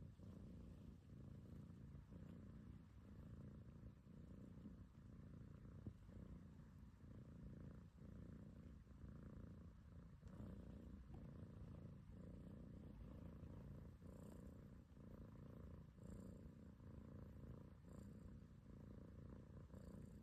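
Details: House cat enjoying a belly rub gives a long, unbroken low purr, throbbing gently with breathing cycles, faint soft clicks over a quiet background.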